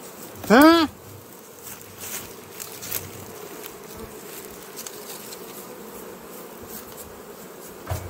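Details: A swarm of kept western honey bees buzzes steadily while acacia honey is harvested in Jambi, Indonesia, from hives untouched for three weeks; a loud, brief, rising-and-falling tone sounds early, then an even, low drone continues.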